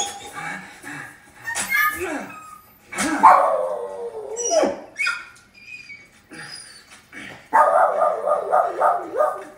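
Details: A Boston Terrier gives drawn-out, wavering whines and yowls while watching a movie, seemingly mourning a dog on screen, with the film's sound and voices behind.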